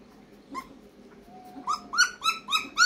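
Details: Fifteen-day-old German Shepherd puppies whimper in high, thin squeals: one faint yelp early on, then a quick run of five or six rising-and-falling cries packed into the final second, with a low background murmur.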